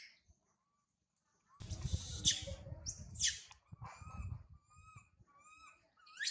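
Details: Infant monkey Sario crying loudly high in a tree after being left by her mother Sarah: shrill, steeply rising then falling squeals, a loud pair near two and three seconds, followed by thinner wavering cries, with rustling noise beneath.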